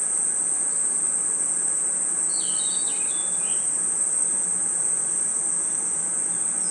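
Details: Night-time forest crickets and insects keep up an unbroken, piercing high buzz, while a brief cluster of sliding chirps surfaces around the middle.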